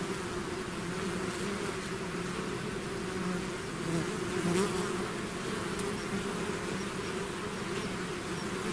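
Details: A swarm of bees out of its hive makes a dense, humming drone, fairly even, swelling slightly midway as a few bees fly closer, then settling back to a steady buzz.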